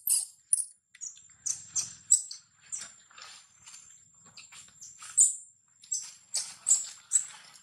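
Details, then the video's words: Baby monkey Lola, sick and crying from hunger, gives shrill, very high squeals in short repeated bursts, roughly one every half second to second, with softer faint chatter between the louder cries. "Poor baby Lola cry & cry hungry much"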